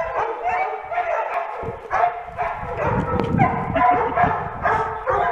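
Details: Irish Wolfhound dog voicing a run of harmonic barks, roughly two to three a second and unevenly spaced, with a murmur of other noise and possible voices underneath.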